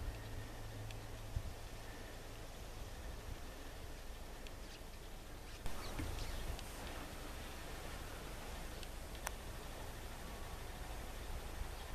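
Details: Steady wind and low rumble with a few faint clicks and knocks, growing slightly louder halfway through; no clear animal call.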